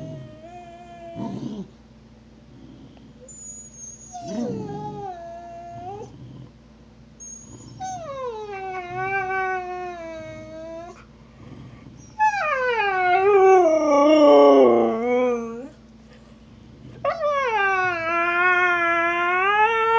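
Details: Snow, a husky, howls over her bone, which was stolen by Trixie, the Australian Cattle Dog. Several drawn-out howls rise and dip, one turning harsh and wobbling, separated by quiet gaps.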